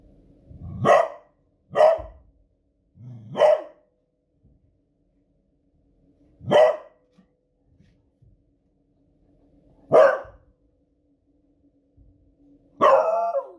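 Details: Female Beagle Smudge reacting to noisy fireworks on a Friday evening, alarm barking; six loud, ferocious single barks, each brief and punchy, coming every one to three seconds with quiet gaps and faint low background thumps.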